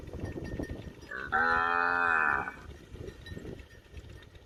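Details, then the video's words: Hungry village cow standing by the house moos for grass: a loud, rich, drawn-out moo with many stacked harmonics, rising slightly at the start and lasting over a second, amid soft rustling. "Cow Mooing, Cow Sound, Cow Standing Near The House, Cow Want Grass Food"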